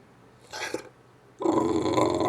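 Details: An English bulldog making odd Wookiee-like noises gives a brief throaty grunt, then a long, rough, warbling groan.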